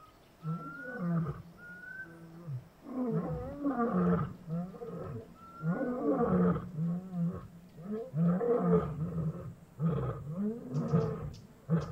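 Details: A lion in Kgalagadi Transfrontier Park roars in deep, rough, moaning bursts repeating roughly every two seconds; a faint whistled note rises briefly near the start.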